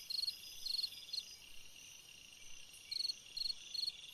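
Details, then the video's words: Summer-night cricket giving two groups of three quick pulsed chirps separated by a pause, with a continuous high insect hiss underneath. "Chant d'un grillon dans une nuit d'été / Singing a cricket in a summer night"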